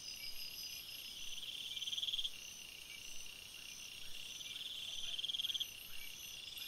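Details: Night forest crickets: continuous high-pitched insect chorus, with two bursts of fast pulsed trilling roughly three seconds apart rising above the steady background hum.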